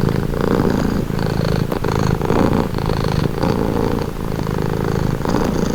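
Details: Continuous close-up cat purr, deep vibrating rumble with gentle rises and dips in loudness about every second, an even, soothing texture and nothing else prominent.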